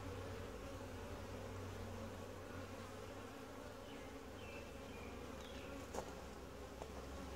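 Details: Honey bee colony humming during a routine hive inspection, described as quiet, gentle and calm; a steady low droning hum holds throughout, with faint short chirps of other birds and a couple of brief clicks.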